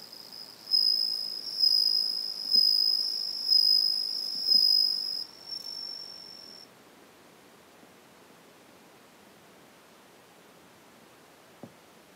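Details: A Japanese bell cricket (Meloimorpha japonica) sings in the evening, high, pure ringing trills in repeated bursts like a tiny bell, with a second individual calling elsewhere; bell cricket song.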